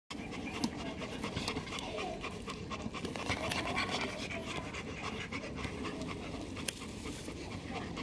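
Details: Black German Shepherds lying in the hot sun in over 40-degree heat pant rapidly and steadily throughout, a continuous breathy rasp with faint background noise.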